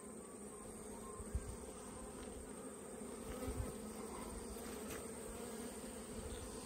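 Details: Honey bees packed on a frame from the centre of the top box while a hive is opened in autumn; constant low buzzing drone with a few soft knocks of handled woodwork.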